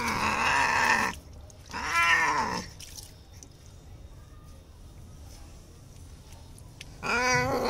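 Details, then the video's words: Bengal cat named Simba, scared of being bathed, gives three loud drawn-out crying meows, harmonic and wavering, the second rising and falling, with quiet room noise between them. "simba is scared of taking a bath in the bathroom Кот Симба плачет в душе"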